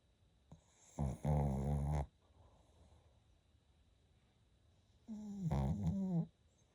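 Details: Izzy, a pet Shih Tzu, snoring indoors: two long, loud snores with a rough, buzzy, vibrating tone, one about a second long and another roughly four seconds later, separated by quiet breathing.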